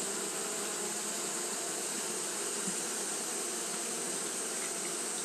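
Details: Steady hum of Japanese honey bees fanning through a hot day, low drone layered under a constant high hiss, level and unbroken from start to end.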